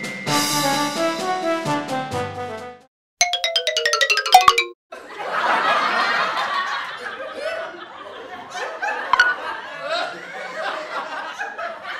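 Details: Chiming jingle music and a descending plucked run are followed by a brief silence, then muffled voices and laughter, with no animal sounds.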